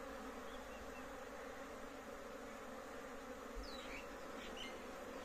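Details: A big honey bee colony at a home apiary in Kashmir merges into one continuous, even drone, low and buzzy with no breaks; a few faint high chirps, likely a distant bird, come through near the end.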